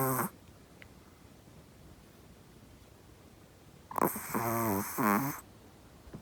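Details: A soundly sleeping Chihuahua snores as loud as a human: one short snore at the start, then a long pulsing, stuttering snore after a pause of nearly four seconds.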